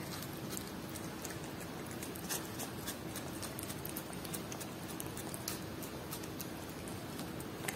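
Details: Domestic cat eating Whiskas salmon food: a steady stream of quick, wet smacking and licking clicks, with a few sharper crunchy snaps, over a soft, constant low hum in a quiet indoor space.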